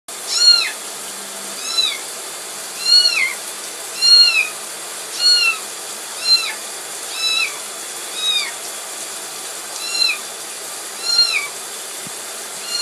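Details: Kitten crying while being given a bath, loud arching meows repeated roughly once a second, about ten in a row, each rising then falling, over a constant bright hiss.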